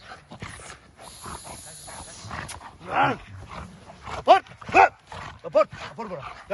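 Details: Bora, an XXL American Bully, during outdoor bite training. Short, loud, harmonic barks burst out in a quick cluster in the second half. A man's spoken commands run throughout.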